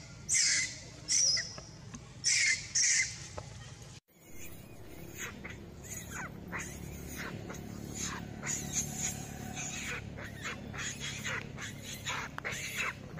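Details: Baby monkey crying very loudly while monkeys mate: four shrill, harsh, high-pitched cries in quick succession, each under a second. A cut follows into softer scattered chatter over steady outdoor background noise.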